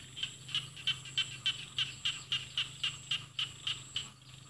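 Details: Rice-field frog in Isan paddy fields below mountains, northeastern Thailand; a run of sharp high pulsed notes, roughly three to four per second, evenly spaced, with a faint low hum underneath.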